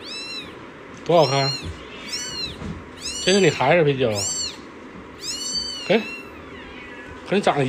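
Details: Indoor pet cats of a big-faced cat family, a mother with kittens: several thin, high-pitched arched meows, some quick and downward-curving, scattered among a woman talking in Mandarin over a steady room hum.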